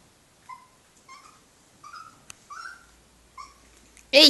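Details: Puppies, a group of dogs, giving short high whining calls with faint harmonics, about six spaced over four seconds, each slightly rising or level; a loud sharp burst at the end, quiet room.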